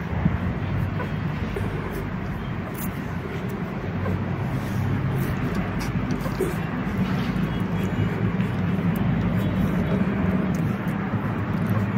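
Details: Steady low engine rumble of passing traffic, with faint speech in the background and no animal voices.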